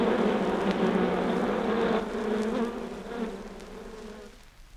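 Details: Honey bee hive left undisturbed, sourced from vinyl: a thick, even buzzing hum that holds steady, then softens and fades away toward the end, with light crackle.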